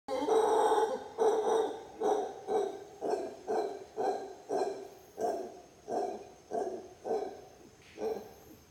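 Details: Howler monkey near sunset on the Titi trail at Bosque del Cabo Lodge, Costa Rica, November 2019: a steady series of deep, rough, grunting roars, about one pulse per second for nine seconds, with a faint high insect drone behind.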